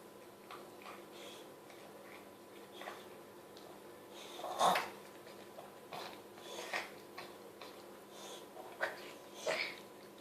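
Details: Chihuahua Mia eagerly snarfing the last of homemade chicken soup in a small room, uneven smacks, slurps and snorting breaths, one louder wet gulp near the middle, soft clinks of the bowl.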